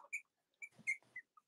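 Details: Cavalier King Charles Spaniel puppies from the litters of Robin and Myra, watched indoors on a chilly Monday morning near Halloween in the US: a few short, high, thin whistled squeaks, each brief and separated by quiet gaps, with faint shuffling between them.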